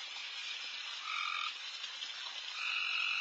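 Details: Loud frog chorus in a backyard late at night during deer feeding, a continuous rushing wall of calls broken by held tonal notes at two pitches that come and go every second or so.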